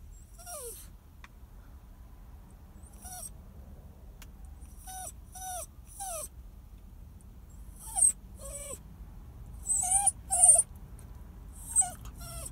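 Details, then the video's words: Sad, crying dog whining: about ten thin, high whimpers that slide downward, coming singly or in quick pairs with gaps of quiet between them, over a low steady background hum. "sad crying dog"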